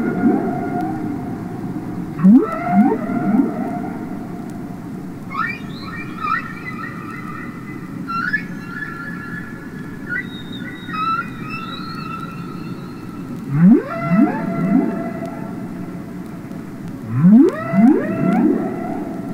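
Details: Humpback whales sing underwater: deep rising moans alternate with higher, wavering, whistle-like cries.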